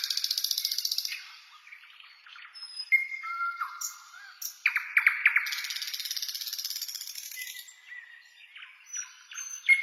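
A grasshopper gives bursts of dry, high, rapidly pulsed buzzing, with birds whistling alongside.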